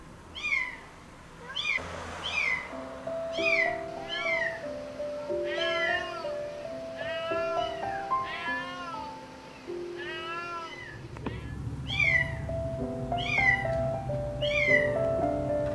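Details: Mother domestic cat crying from a rooftop for her kitten trapped in a pillar, signalling passers-by for help; series of loud, arched meows, several per few seconds, over soft piano music.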